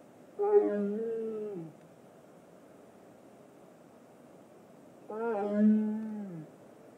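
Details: Jasmine, a tiger living at Big Cat Rescue, 'talking': two drawn-out, low harmonic moaning calls of about a second each, the second coming roughly four seconds after the first, with faint steady hiss between them.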